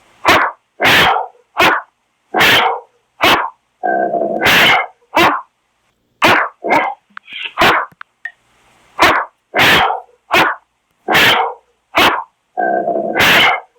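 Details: Great Dane barking: deep, loud single barks about every half second to a second, broken by short gaps, with a few longer drawn-out barks and a brief whine.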